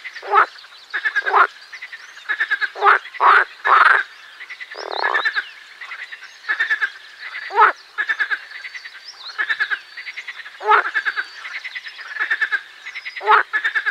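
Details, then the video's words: Song of the marsh frog, Pelophylax ridibundus: a dense, continuing series of short rattling, pulsed croaks with brief gaps, one longer droning note midway, and loud quacking bursts throughout. "Песня озерной лягушки Pelophylax ridibundus"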